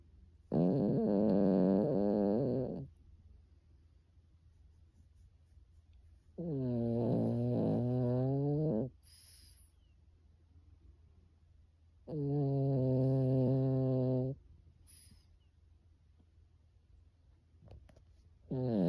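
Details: Sleeping pet Pekingese snoring in a human-like way: long, rough, buzzing breaths of about two seconds each, repeated roughly every six seconds with near silence between, a fourth snore beginning at the end.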